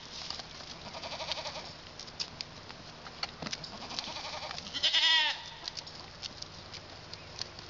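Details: Male pygmy goat babies, born February 27, kept outside London, Arkansas, not yet fully weaned; one short, shaky bleat midway among scattered clicks, thumps and steady background noise.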